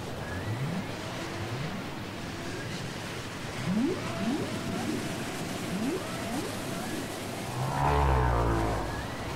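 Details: Whale song on cassette: short upswept whoops repeat roughly every second, climbing from low to mid pitch, over a steady hiss, with a deeper rumbling burst near the close.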